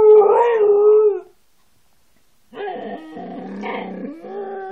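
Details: Siberian Husky howling: a steady tonal howl of about a second, then a pause and a rougher, buzzier, wavering howl that carries on to the end.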